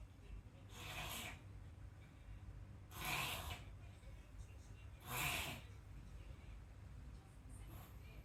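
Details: Rescued Chihuahua with tracheal collapse and a cold, reverse sneezing and coughing indoors: three harsh, broadband snorting bursts about two seconds apart over a quiet room hush.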